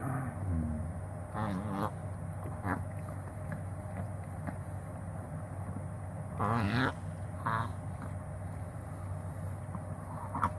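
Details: Chihuahua named Hatabou having a reverse-sneeze episode, which a vet confirmed as reverse sneezing: rapid, harsh snorting honks in short bursts near two seconds and again around six to seven seconds, over a steady low indoor hum.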